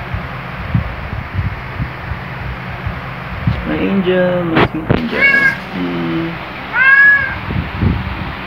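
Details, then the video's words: Luna, a black cat, greets on waking beside his owner with loud jolly meows: a few short harmonic calls midway, then a clear rising-falling meow near the end, mixed with a woman's soft morning greetings. "Luna Black Cat Always Wakes Up Beside Me with A Loud Jolly Greeting"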